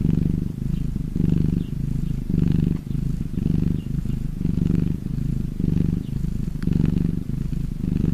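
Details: Contented domestic cat purr, its purring described as a sign of happiness: low, throaty vibration rising and falling in about eight even breath phases, each near a second long, steady throughout.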